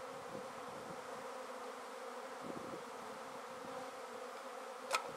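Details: Honey bee swarm just shaken from a tree into a swarm basket: a soft, steady droning hum with layered low tones, even throughout, broken by a sharp tap near the end.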